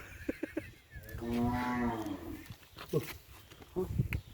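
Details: Cattle on Sapudi Island, Indonesia, kept for kerapan sapi bull racing: one drawn-out, tonal moo of about a second, with stacked harmonics, amid people talking and scattered knocks.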